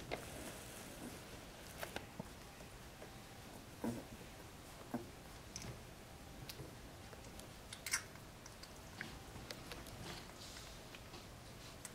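Only faint indoor rustling, soft clicks and patter are heard, with no animal calls.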